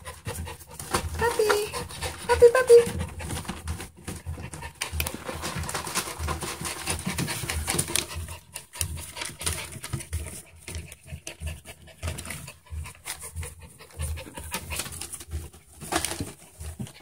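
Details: Schipperke puppies pant rapidly, with a few brief, high whimpering squeaks early on; recorded 22 December 2015.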